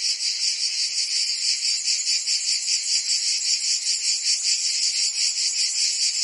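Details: Cicadas singing in summer in Provence, France: a dense, continuous high buzzing chorus that throbs in steady pulses about two and a half times per second, with no other sounds.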